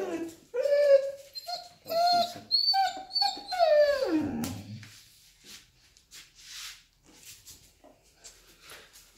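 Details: Male Vizsla 'sings' a run of high, wavering whines that swoop upward and fall away into a sigh, expressing joy when his pack is together, a kind of pack howling rather than distress.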